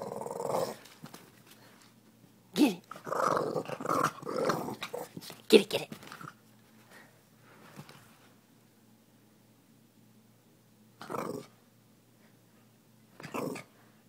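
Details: A Boston terrier at play indoors, called the toughest in the West, giving a run of rough, snarling growls and snorts early on, then two short growling bursts after a long quiet stretch.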